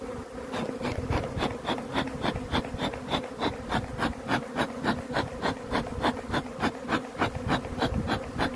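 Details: Steady low drone of honey bees, overlaid by sharp regular clicks or puffs repeating about three times per second, possibly from a bellows smoker.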